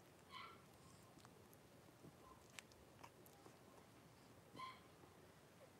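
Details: Blenheim Cavalier King Charles Spaniel puppies, a litter of five about four weeks old, resting in a home puppy pen beside mother Paris; two short thin whimpering squeaks, one at the start and one near the end, over quiet room hiss.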